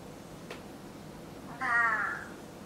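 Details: Pet cat indoors at home, among household furniture and a newly bought table; one clear, harmonic meow lasting about half a second follows a single soft click over quiet room hum.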